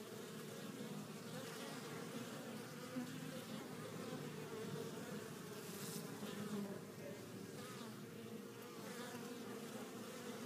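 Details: Honey bees returning to their hive carrying pollen of at least four colours; steady, dense droning hum of many bees with overlapping wingbeat tones, continuous throughout with slight swells in loudness.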